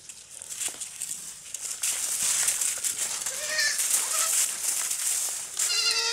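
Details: Baby goats playing and jumping on a farm; a few short, thin, wavering bleats with rising harmonics, mostly near the end, over constant hiss and scattered clatter.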